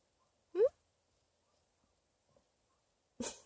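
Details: Bluetick Pocket Beagle puppy China, a female, lying in bed after a long car ride and refusing to get up, gives one short rising whimper. Silence follows, then a brief rustling burst near the end.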